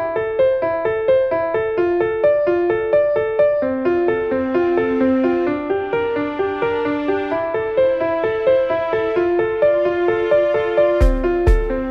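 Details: Piano melody with repeated keyboard notes at a steady pace, a few sharp clicks near the end; no animal sound.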